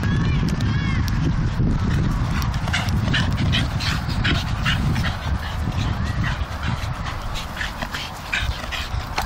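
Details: Staffordshire Bull Terriers playing tug of war growl in a deep, rumbling, continuous stream, with a few thin whines early on.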